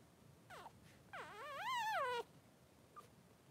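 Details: Three-day-old Blenheim Cavalier King Charles Spaniel puppy in its newborn pen beside mother Pom-Pom, giving a short falling squeak and then a rising, wavering wail lasting about a second before it cuts off.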